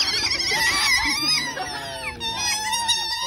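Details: Group of otters calling out for food, a tangle of shrill wavering whines and chirps, one slides downward, others keep piping on top in a noisy clamour.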